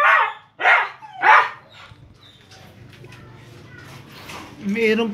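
A Siberian Husky gives three short, wavering yowls in quick succession, joining other dogs in a group howl.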